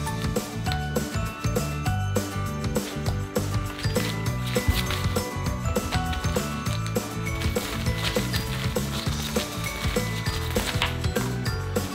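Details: Busy background music with a ratcheting, gear-like rhythmic clatter throughout and no animal voice.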